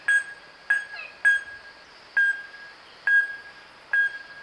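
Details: Kruger National Park's Wahlberg's epauletted fruit bat (Epomophorus wahlbergi) calling: clear, bell-like pinks spaced about half a second to a second apart, each a bright tonal note over a quiet background.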